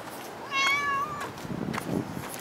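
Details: Cat at Dockyard Garden, recorded 21 August 2016 around six in the morning: one drawn-out meow lasting under a second, steady then gently falling at the end, with rich harmonics, followed by faint rustling and scuffing sounds.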